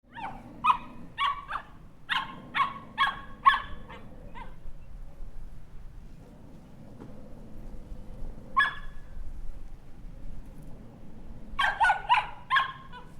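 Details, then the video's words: Puppy barking: bursts of short, sharp, fairly high yips repeated about twice a second, a lone bark mid-clip, then another quick volley near the end, over a low steady background hum. "Cute Puppy Dog Barking"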